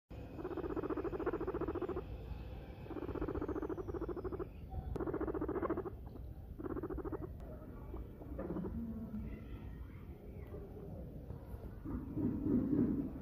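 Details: A pet guinea pig being massaged gives rhythmic buzzy rumbling purrs in bursts of about one second, separated by short pauses, softer and more broken in the later part.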